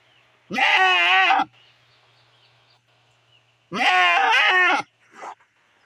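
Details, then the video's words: Mother goat kept from grazing beside her kid sick with diarrhoea, calling for her separated herd; two long, strained, quavering bleats about three seconds apart, then a short softer sound, low steady hum underneath. "boring sound of goat"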